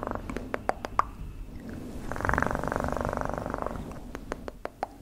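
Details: Pet cat giving a soft low purr that builds for a couple of seconds in the middle, surrounded by crisp clicks and taps.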